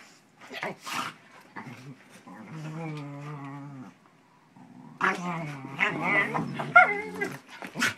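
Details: A pit bull puppy pestering his shepherd companion during play, the shepherd not wanting to be bothered; low steady growling with harmonic whines and whimpers, a short pause, then louder yelping and snarling with sharp clicks.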